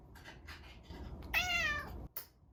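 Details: Caged domestic cat wanting out or asking for food: a single clear, bright meow with rich harmonics, held briefly and gently falling at the end, after faint rustling and followed by a click.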